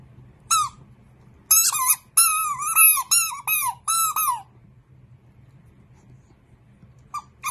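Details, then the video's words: Dachshund, a sausage dog, indoors: a run of high, clear whining squeals, each bending up then down, about seven packed into three seconds, then a pause and two more short squeaks near the end. "Funny sausage dachshund dogs"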